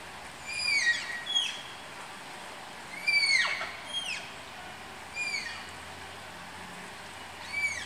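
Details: Shrill, downward-curving squeaks from Malayan tapirs being paired at Tama Zoological Park, given in loose clusters of two or three with pauses of a second or more between bursts, against a faint low hum.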